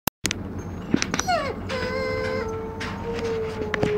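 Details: A 4-month-old Giant Schnauzer puppy howls, a falling wail that settles into a long, steady tone.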